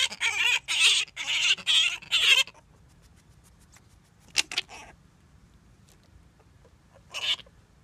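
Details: Male grey-headed flying-fox Gelert, kept with blankets and stuffed toys, sings to female Diva after scent-marking his territory in courtship. Harsh, rasping screeches come in a quick run of about five pulses over two seconds, then two single bursts.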